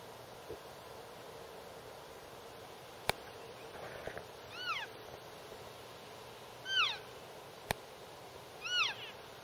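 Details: Young elk calves in a back yard giving three short, high, arched squeals with bright harmonics, spaced about two seconds apart, over steady background hiss with a couple of sharp clicks.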